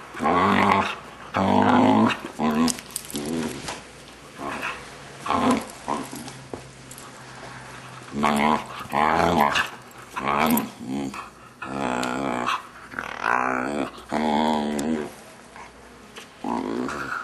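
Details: A six-month-old male Vizsla lets out odd, drawn-out grumbling growls and whiny, yodel-like moans while people talk nearby.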